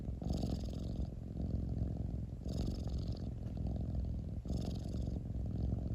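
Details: Domestic cat purring: a steady, deep, low rumble with a fine pulsing texture, swelling in breath cycles about every two seconds, each carrying a faint airy hiss, with no other clear sounds.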